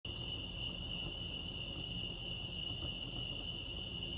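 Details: Crickets chirping at Lake Arrowhead, California: a steady, high, ringing trill holds one pitch throughout, with a fainter higher overtone, over a low rumble of background noise.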